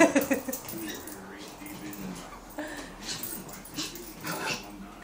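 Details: A rescued female cream Pomeranian plays with a hookless fishing line, giving high, thin whimpers and yips while people talk nearby.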